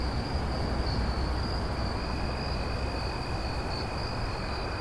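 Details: Crickets trilling at night: a constant piercing high tone is joined by a softer lower trill, both over a thick low background drone.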